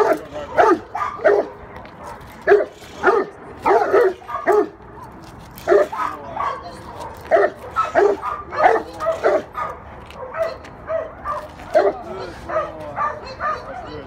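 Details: Young Cane Corso learning the ropes during training, giving short, harsh barks in uneven bursts, about one every half second to second and a half, with human voices speaking between and over them.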